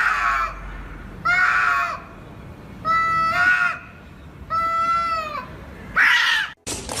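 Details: Cat in a funny compilation giving five drawn-out, tonal meows, each under a second long with a rich, slightly falling pitch, repeated roughly every one and a half seconds, followed by a short burst of noise at the end.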